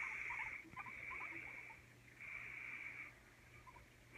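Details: Pet guinea pigs Oreo and Donut, Oreo timid around Donut since their fights; faint little squeaks early on, then long hushed rustling sweeps with a pause before the last one.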